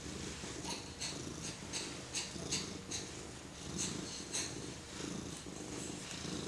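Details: A cat's steady purr, rhythmic and low, as a four-month-old baby strokes it; regular soft brushing swishes from the petting repeat roughly twice a second above the rumbling.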